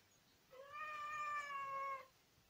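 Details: House cat producing a long, even meow lasting around one and a half seconds, clear and level in pitch, over a faint steady background hiss.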